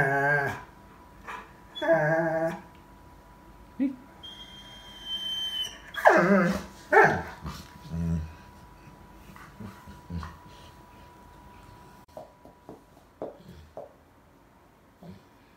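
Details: Young Bernese Mountain Dog, eleven months old, talking to family members: whiny grumbles and yelps early on, then quieter scattered huffs and clicks, with a soft steady background hum.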